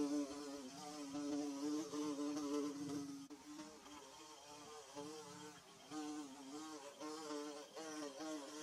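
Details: Bees building their nest, recorded in a Mizo setting: several overlapping wing buzzes form a steady, wavering hum. Individual tones drift up and down while the drone stays continuous, with a brief dip in loudness partway through.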